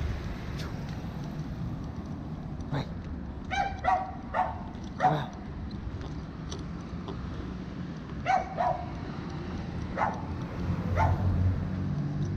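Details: Chow chow named Capacete, said to just want to pee, giving short harmonic barks or yips in scattered bursts, some doubled, about eight over twelve seconds, above a steady low rumble of background noise.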